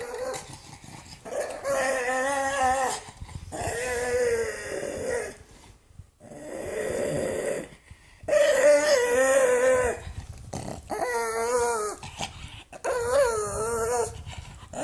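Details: A mad pug lets out drawn-out, whining grumbles that waver up and down in pitch. Five or six separate bouts come with brief silent gaps between them, and the final bursts are the loudest.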